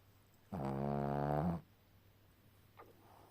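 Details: Asleep, the dog Ponka lets out one long, deep, rasping snore of about a second, with steady harmonic buzz, then the room falls quiet apart from a faint rustle.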